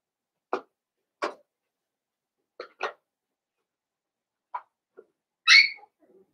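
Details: Blenheim Cavalier King Charles Spaniel puppies, a litter of five about seven weeks old, in an indoor puppy pen: six short, sharp yips spaced irregularly over six seconds, then a brief high-pitched squeal, with quiet in between.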